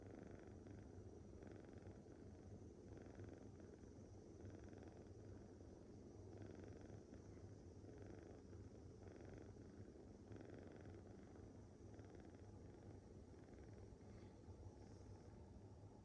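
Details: Young female tabby rescue kitten asleep and snoring, worn out from playing. Gentle, regular snoring breaths come roughly every 1.3 seconds over a constant low background rumble.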